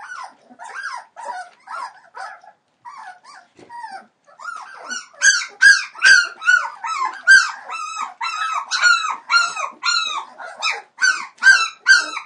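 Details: Three-week-old Entlebucher Mountain Dog puppies from Shadow and Falk vom Kornried's litter of 28 December 2013: soft scattered whimpers build into loud, regular, arching yelps repeated more than twice a second.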